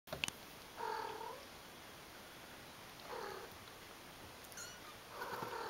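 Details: Playing kittens give three short, mid-pitched meows spaced a couple of seconds apart, each a brief harmonic cry, with soft rustling and a few faint clicks between them in a quiet room.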